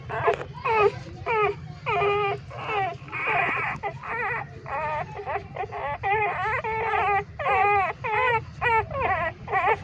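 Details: Several hungry newborn street puppies, three days old, wail while nursing in a pipe; dense overlapping squeaky whimpers, sharp and wavering, pour out in rapid succession over a constant low drone.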